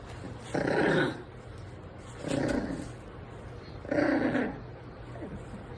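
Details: Micro-size American Bully dog, a pocket bully: three short, rough, gruff barks with a growling edge, spaced about one and a half seconds apart, over a quiet indoor background.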